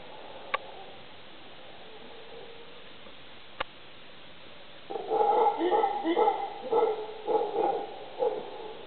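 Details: Howler monkeys in late afternoon in Uvita, Costa Rica, May 2010, break a quiet stretch with deep, rough, pulsing roars that surge and fade in waves.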